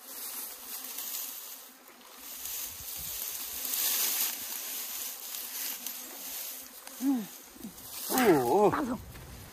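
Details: Honey bees at an opened hive kept outdoors on a hillside in Puning, Guangdong, with tall grass grown over it and ants present; a steady low droning hum runs throughout, and loud human voices break in near the end.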